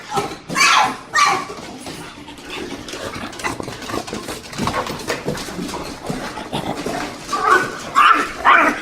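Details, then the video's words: A female French Bulldog gives excited, whiny yelps and grumbling vocalizations, happily greeting her owner arriving home. "French Bulldog makes crazy noises"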